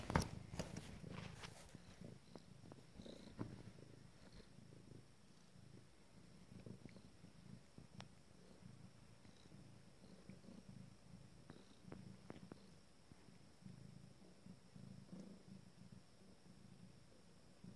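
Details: Seated Abyssinian queen nursing five-day-old kittens from her first litter, purring steadily in a soft, low, even rumble, with scattered clicks and rustles from the suckling litter, louder at the start.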